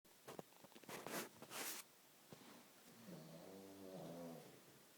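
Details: Sleeping pug indoors, snoring: a few sharp sniffing or rustling bursts at the start, then one drawn-out rumbling snore with layered harmonic tones in the second half.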